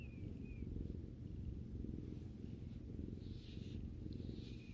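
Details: Relaxed house cat giving a deep, steady purr beside its owner, the low rumble rising and falling regularly, with a couple of faint high squeaky sounds in the background.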